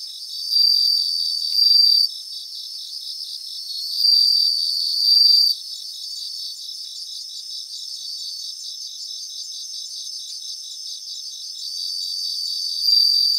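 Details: Bell crickets sing together in grassland. A continuous high tinkling chorus carries brighter ringing bursts of one to one and a half seconds near the start, around four to five seconds and at the end, with a quieter steady trilling between.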